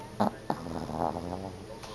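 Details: A sleeping Yorkshire Terrier snoring: two short sharp snorts in the first half-second, then a soft, buzzy, droning snore with a faint harmonic ring that fades away, indoors and quiet.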